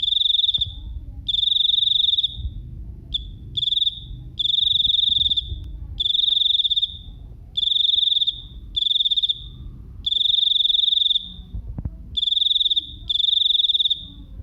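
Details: Small cricket singing very loudly, its shrill high trills of quick pulses repeated in bursts of half a second to over a second, with irregular short pauses between them, over faint low ambient noise.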